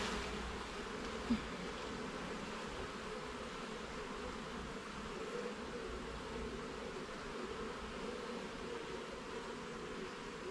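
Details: A colony of honey bees in a garden hive, heard while the frames are inspected: an unbroken, smooth humming drone holds steady for the whole stretch, with one small tap early on.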